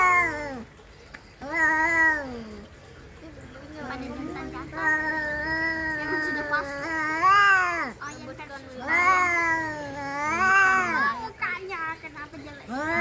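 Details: Domestic cats fighting: long, wavering yowls with rich harmonics, rising and falling in drawn-out arcs, several overlapping howls across the stretch, brief gaps between bouts.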